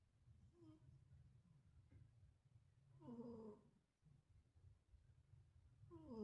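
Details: Sleeping stray cat snoring ever louder, a low rumbling breath noise running through, with brief harmonic voiced snorts near three seconds and again at the end.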